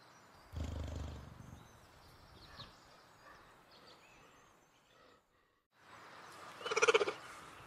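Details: Cheetah inside a house: a short low rumbling purr-like burst early on, a quiet stretch, then one loud, brief, bright harmonic chirp-like call near the end, with faint high whistles in the background.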